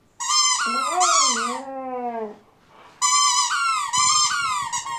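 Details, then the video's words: A Siberian Husky with a squeak toy gives one drawn-out, falling whine in the middle. It is framed by bursts of high, bright squeaking before and after, with a short quiet gap. "Husky with squeak toy crying"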